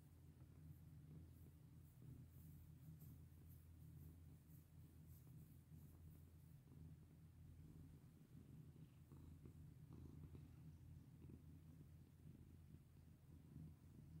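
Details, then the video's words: Purring domestic cat during petting: an unbroken low rumble throughout, with light rustling and brief scratchy touches from the stroking layered over it. "Pet my sweet cat with me!"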